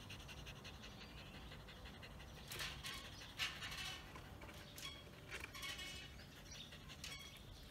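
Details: German Spitz dog panting during a Sunday-morning game of fetch at home, with a Persian cat also present; quick, soft breathy huffs come in uneven bursts over a faint, steady background hiss.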